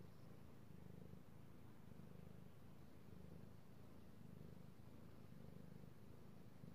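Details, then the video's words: Low rumbling purr of a petted male cat, recorded 3/16/18; even pulses about once a second, heavy in the bass, with a quiet indoor background. "ASMR Cat Purring"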